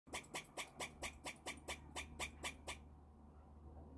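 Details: Squirrel calling: a quick series of eleven harsh, clicking chucks, about four per second, that stops abruptly and leaves a faint background hum.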